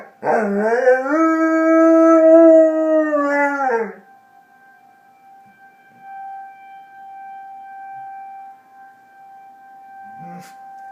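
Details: Answering a tornado siren, a dog gives one sustained howl of about four seconds that rises, holds level and then drops away, after which only the siren's steady drone continues.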